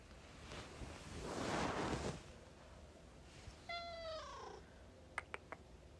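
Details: A cute pet cat interrupting a conversation indoors with one short meow that slides downward in pitch midway through, after a muffled rustling noise, followed by a few sharp clicks.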